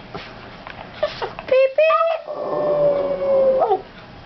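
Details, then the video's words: Three-year-old female Boston Terrier singing on cue; a long drawn-out tonal howl that slides slightly and holds steady for about two seconds, preceded by short yelps, with human voices and background noise. "Abby, the Boston terrier, Singing"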